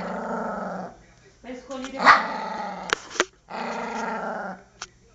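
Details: Very angry poodle attacking, growling almost continuously in deep rasping bursts, broken by one loud harsh bark and a couple of sharp snaps.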